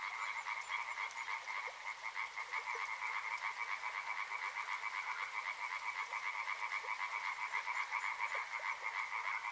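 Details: Frog chorus at a river, rapid clicking croaks repeated in a tight, regular rhythm over a continuous buzzing background of many callers.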